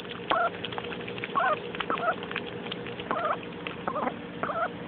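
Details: Young pet mallard duck, female, thrilled by a muddy puddle; scattered short nasal quacks in small bursts with pauses between, over a constant low hum.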